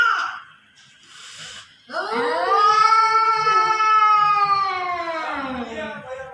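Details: A cat fight in front of a home: after a short quiet lead-in, one long, steady, moaning yowl holds a rich harmonic tone for about four seconds, then sags slightly in pitch and fades.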